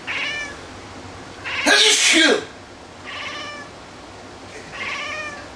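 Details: Domestic cat meowing in reaction to a person's sneeze: three harmonic, mid-pitched meows spaced about two seconds apart, with a loud human sneeze between the first and second.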